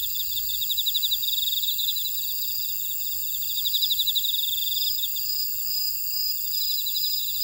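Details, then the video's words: Grass insects in a buckwheat field at Ora-dong, Jeju, South Korea: layered steady high whines beneath a quick pulsing chirp series that strengthens around one and four seconds, a calm continuous natural chorus. "쉬고싶을때 듣는 제주 메밀밭의 풀벌레 소리 (Sound of a buckwheat field)"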